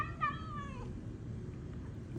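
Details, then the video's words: Domestic female cat making what is described as really weird noises, indoors: one short, falling meow lasting under a second, over a steady low hum. "My cat makes really weird noises"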